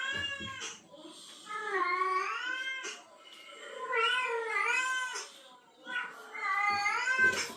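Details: Female cat in heat reacting to a male cat's calling: three long, wavering, harmonic yowls, each about a second and a half, rising then falling in pitch with short quiet gaps between them.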